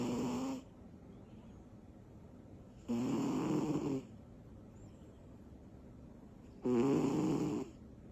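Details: Small female cat named Butters asleep and snoring after tiring herself out with energy bursts; three rasping, buzzy snores about one second long, spaced roughly every three to four seconds, with quiet breathing between.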